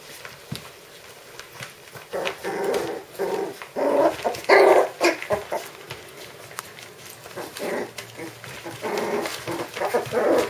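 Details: Five-week-old puppies making soft, overlapping whimpers and yips in quick irregular bursts, with rustling and clattering noises throughout.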